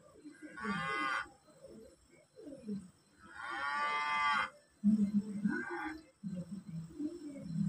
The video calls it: Suara kerbau nyaring keras